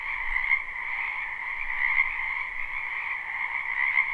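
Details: Frogs calling together from a backyard wetland in spring, live and unlooped; an unbroken, even trilling drone of many overlapping voices, holding steady in two pitch bands throughout.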